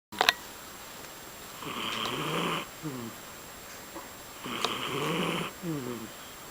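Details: Mysli, a domestic cat, snoring while asleep: two breath cycles about three seconds apart, each a breathy hissing inhale followed by a short fluttering, buzzy exhale, with a sharp click at the start.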